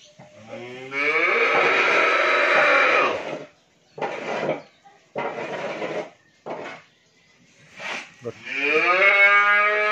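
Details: Pregnant Friesian dairy cow at a farm in Pabna, Bangladesh, gives a drawn-out, full-toned moo lasting about three seconds, followed by short bursts of background voices and noise, then a second moo starting near the end.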